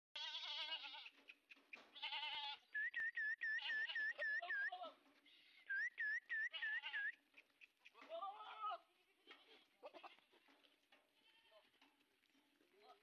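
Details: Sojat bucks, part of a herd of 130 kept at a goat farm in Indave, Sakri taluka, Dhule district, ready for Eid, bleat loudly and overlap in wavering, nasal cries. Bursts of high whistled chirps repeat between them.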